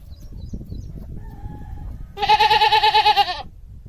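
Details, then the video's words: Domestic goat giving one loud, wavering bleat of just over a second, with a fast tremolo running through it. The bleat follows about two seconds of quiet rustling and faint, brief tones. "Goat Sounds & Goat pictures - The Sound A Goat Makes"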